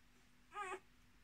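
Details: Miniature Australian Shepherd puppy, one of a litter of six kept with their mother, gives a single short whine that rises then falls, lasting under half a second, over quiet steady background hiss.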